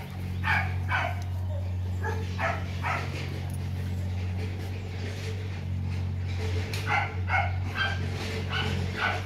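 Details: Rottweiler pups aged four months romp at Gervi kennel, a litter of imported parents TEDI and Dakota; sharp barks and yips come in irregular clusters throughout over a steady low hum, with a person speaking to the dogs.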